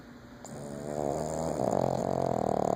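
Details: Snoring from a sleeping female Boston Terrier, a loud sleeper known to wake herself; the breath starts quietly and swells into a harsh, vibrating, rattling snore that grows louder through the end.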